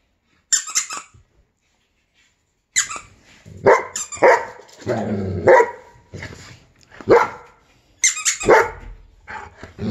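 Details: Giant Schnauzer reacting to a squeaky sound, giving scattered sharp barks and short yelps with quiet gaps, plus a brief growl-like rumble near the middle and high squeaky noises mixed in.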